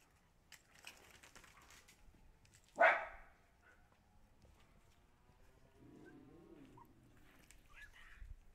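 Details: Siberian Husky puppies: a single sharp, loud bark bursts out near the three-second mark, preceded by a faint, drawn-out whine and followed by soft, low muffled noises and quiet rustling indoors.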